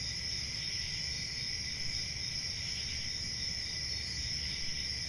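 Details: A night chorus of crickets, unbroken high trilling with a second lower buzzy band, even in volume, with low background rumble.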